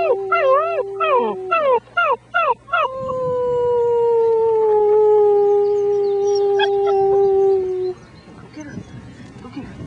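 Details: German Shepherd puppies, six weeks old, howl alongside a human. Quick wavering, rising-and-falling yips open the passage, then a long, steady, gently sinking howl that stops abruptly, followed by low background rumble.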